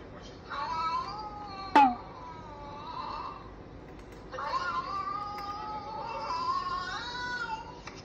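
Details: Chatty Siamese-mix cat voicing long, bending meows in two extended runs, the second longer and wavering, broken by a sharp tap near the start; the cat had been angry, then suddenly began talking.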